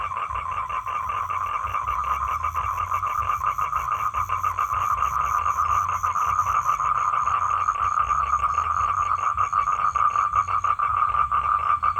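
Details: Continuous fast buzzing trill of a male toad calling females for mating, steady in pitch and loudness for twelve seconds, accompanied by a faint high tone that fades partway through.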